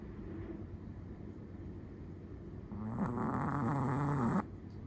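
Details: Sleeping Chihuahua snoring: after a few seconds of soft, hissy breathing comes one loud, drawn-out snore lasting nearly two seconds, a rough, low, rattling buzz that stops abruptly. No other sounds stand out.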